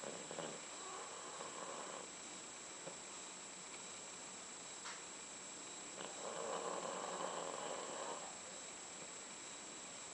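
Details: Sleeping pet dogs Candy and Frank in their last days; two long rasping snore breaths, each about two seconds, separated by quiet pauses, over a faint constant high-pitched hum.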